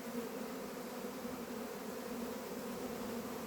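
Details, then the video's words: Honey bees outdoors in the mountain countryside of northern Iran, giving a steady, dense, low droning hum that holds evenly throughout without pauses. "Honey bees in the nature of northern Iran"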